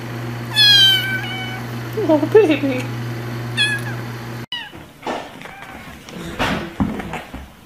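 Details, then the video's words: Kitten gives a bright rising meow, then softer lower mews and a short squeak amid steady background hum; after a cut, faint cries under rustling and a person talking. "Kittens Meowing Compilation"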